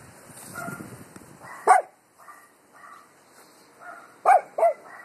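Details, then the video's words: Dogs barking at the wind: three sharp barks, one alone and then a quick pair close together, over rustling, gusty background noise and softer muffled sounds. "Dogs barking at wind"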